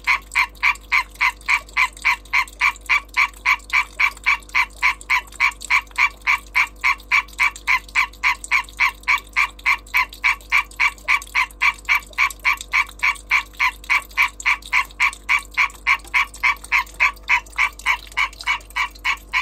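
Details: European green tree frog in breeding season calling: long unbroken run of sharp, nasal, quacking pulses at an even rate near three and a half per second, strong and clear against a quiet background.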